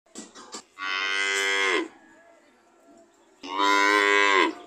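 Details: Cow mooing in two loud, drawn-out calls about a second each, separated by a quiet gap, with a few short clicks before the first.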